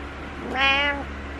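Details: A single rising-falling meow from Butters, a needy house cat in the morning, lasting about half a second with rich harmonics against faint indoor hum.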